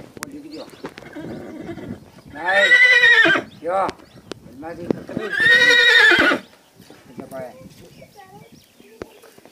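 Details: Stallion at Udaipur palace giving two loud harmonic neighs, each about a second long, about three seconds apart, with hoof clip-clop and a man's voice speaking between and after.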